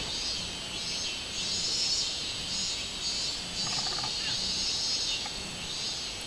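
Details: Robust cicada, 24 July 2016: a high, grating buzz pulsing in slow swells of loudness, with a faint stacked chirp from another animal a little past halfway.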